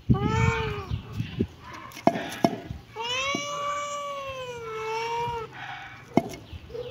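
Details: A short kitten mew opens, then after a pause a long, wavering meow stretches over two seconds, tailing off; scattered sharp taps sound in between.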